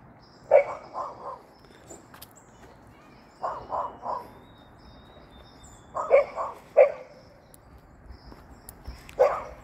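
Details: Hopping Golden Retriever barking in short groups of three or four rapid, mid-pitched barks, each group separated by roughly two to three seconds of near silence.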